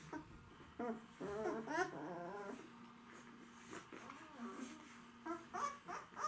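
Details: White Swiss Shepherd dogs, said to be hungry, with a burst of wavering whimpers early on over a steady low hum, then a few scattered quieter squeaks.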